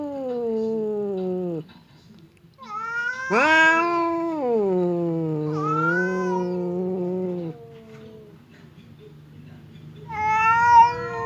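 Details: Indoors, Temon, a fierce house cat, faces Lelo, a quiet one, across a partition as they gear up to fight. Low moaning growl-yowls slide downward, then a strained higher wail swells and sags. A further yowl closes the exchange.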